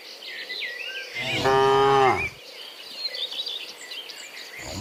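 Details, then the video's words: Cow returning from the field to the barn in the morning gives one strong moo of about a second that bends downward at the end, while birds chirp and whistle in the background. "Dozens Funny Cow Sounds in the Morning, Returning from the Field to the Barn, Cow Sounds"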